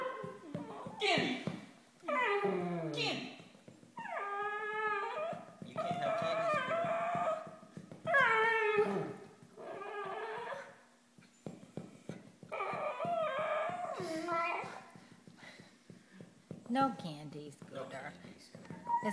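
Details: Indoor dachshund begging for candy, answering its owners with a run of yodelling whines and short howls that bend up and down in pitch, alternating with the people's coaxing questions about candy.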